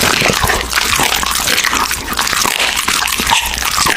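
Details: Raw meat chewed by an American Bully in close-up: constant moist, squelching mastication with bright crackly bites, dense and unbroken across the short stretch.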